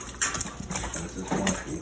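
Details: A dog gives rough, strained growls and hyena-like yelping cries in quick uneven bursts while fighting another dog.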